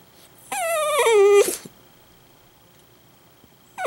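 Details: A male Italian Greyhound suddenly bursts into a loud wailing cry, a harmonic whine sliding from high to low over about a second, then quiet before another cry begins.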